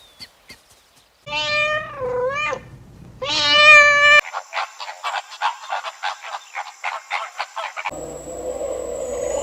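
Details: Cat gives two meows, the first wavering and the second louder and higher. A steady run of rapid clicking pulses follows, then a duller background noise.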